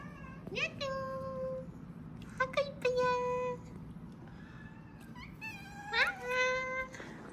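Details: ['Fragile kittens discovered clinging to each other, barely alive, cry in three bursts of drawn-out, high meows that dip slightly at the end, separated by quiet gaps, with a murmur of human speech in the background.']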